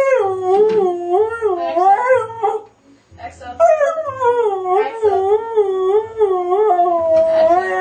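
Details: Pet Siberian husky howling, a series of wavering, sliding tonal howls with a short pause near the middle before resuming long undulating cries; faint low hum underneath.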